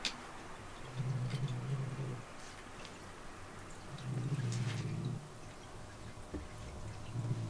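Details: Indoor domestic cats in a cat room where a rescued kitten's bed was just placed; a deep, rumbling purr in bursts of about one second, coming roughly every three seconds, with faint room noise between.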